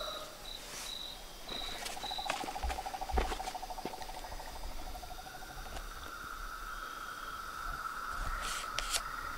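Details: Frogs, toads and tree frogs calling at dusk from a small dam pond in front of a house veranda: a rapid pulsed trill, steady tonal notes and bursts of higher repeated beeps overlapping in a dense, chaotic nighttime chorus.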